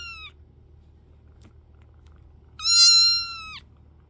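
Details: A kitten in a quiet room: the tail of one meow, then after a pause a loud, high, level meow about a second long that drops at its end.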